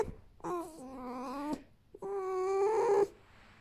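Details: Happy pet red fox, rescued from a fur farm and now living in a family home, gives two drawn-out tonal whines of about a second each, steady and slightly wavering, separated by a short pause, in an otherwise quiet room.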